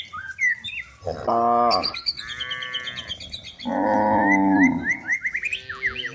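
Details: Village cows looking for food in the forest while being herded toward the livestock pen: two long, low, droning moos, each over a second, with rich overtones, separated by a pause, while small birds chirp high in the background.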